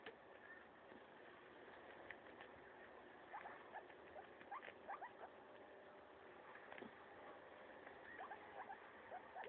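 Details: Maso, a pet guinea pig, tearing into a leaf: bursts of quick, dry crunching clicks in uneven clusters, with gaps between bites, over a steady low background hum.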